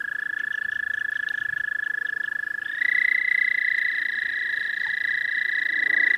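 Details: American toad calling in spring in the southern half of the state: a long, steady, high musical trill, with a second, slightly higher trill joining about halfway through and overlapping to the end.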